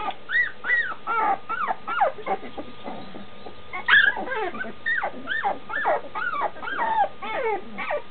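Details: Nearly two-week-old Standard Schnauzer pups in a whelping box, wanting their mom who waits just outside; a steady stream of arched, whining squeals from several puppies, overlapping and repeated about twice a second.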